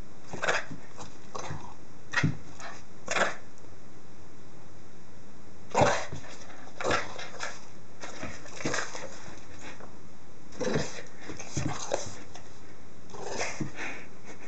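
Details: A Boston Terrier gives short, scattered barks and huffs, with rustling between them, while playing after stealing a dryer sheet and being chased.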